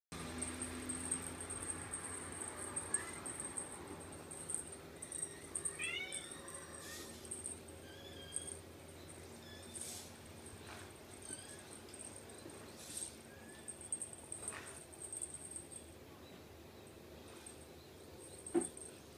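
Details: Playful young Ragdoll kittens, a May-born litter and a smaller March-born kitten, indoors. A short run of thin, high meows with wavering, stepped pitch comes near the middle, over a steady low hum, soft rustling and scattered clicks.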